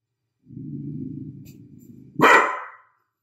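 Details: Pet dog barking at nothing: a low, rumbling growl of about two seconds, then one sharp, loud bark that rises abruptly and fades quickly.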